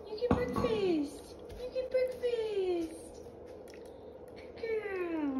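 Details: Rio, a pet cat, meowing sweetly indoors while waiting in anticipation for her breakfast: three drawn-out, loud meows, each sliding downward in pitch, with a short sharp knock near the start and quiet room noise between calls.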